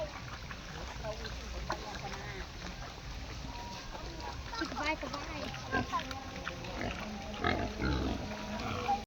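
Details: Domestic pigs, one of ten boars offered for breeding, give rough grunts and short squealing bursts, clustered mostly in the second half, while a man talks steadily over them in Khmer.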